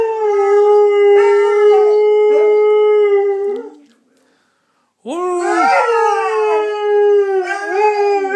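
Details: A pet Saluki dog belting out a 'doggy tune': one long, steady, level howl lasting over three seconds, a brief silence, then a second howl that swoops up at the start and wavers gently as it fades.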